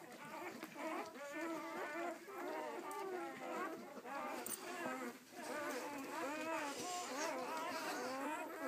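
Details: Nine striped newborn Weimaraner puppies, a few hours old and born September 24, 2012, squeal and whimper in a constant overlapping chorus of high, wavering cries.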